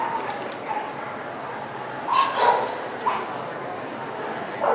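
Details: Poodle in Long Beach on December 11, 2008, giving a few short, sharp barks clustered near the middle, with one more near the end, over steady background voices and general noise.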